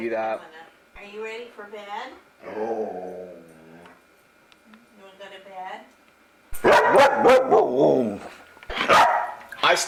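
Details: Luca, a talkative foster dog, gives a run of wavering, harmonic moaning vocalizations, several drawn-out and falling in pitch, followed by louder harsh bursts; a person speaks nearby.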